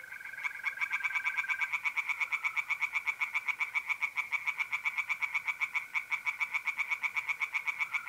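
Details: Singing tree frogs in a North-East Italian pond by night in mid-April: a loud, dense, rapid train of croaking pulses runs throughout, with a sustained mole cricket trill at the start.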